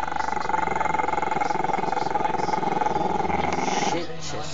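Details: Camera-shy Maltese-Shih Tzu pup Chester rumbles at the camera, a steady, rhythmic, low pulsing growl that fades near the end, with a television voice talking behind it.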